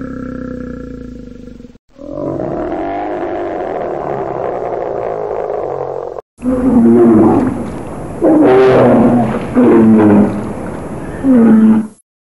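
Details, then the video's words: Bear in a forest: a long rumbling roar, then a series of short, harsh growls with falling pitch, each about a second long and repeated every couple of seconds. "Barulho de URSO na floresta"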